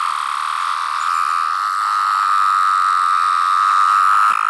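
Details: Close recording of a single 17-year cicada, a larger variant striped yellow-brown beneath. Its high, pure whine runs without a break and swells slightly louder toward the end.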